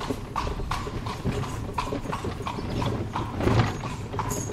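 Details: Horse drawing a carriage over Spanish cobblestones with no traffic around: sharp, knocking hoofbeats in a quick irregular clip-clop, backed by steady grinding wheel rumble and faint creaks.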